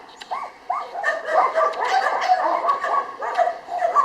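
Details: Jania, a female Labrador Retriever in the Kundelek shelter in Rzeszów, Poland, gives high, bending whines and yelps that slide up and down, closely overlapping, with a person coaxing her in Polish nearby.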